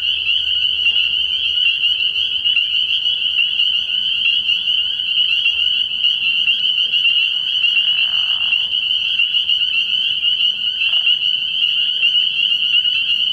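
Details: Chorus of spring peepers at a frog pond after dark early in the year: countless high, piercing peeps blending into a steady shrill drone, with a faint lower rustle around the middle.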